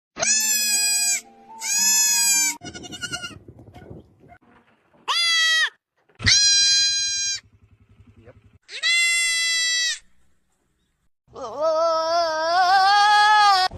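Goats bleat loudly in a series of harsh, wavering, nasal calls, some short and some drawn out.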